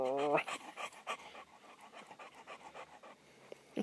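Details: Rusty, a pure-bred Cocker Spaniel, pants excitedly at feeding time, with quick, breathy puffs at about four per second after a brief voiced sound at the start and a person speaking nearby.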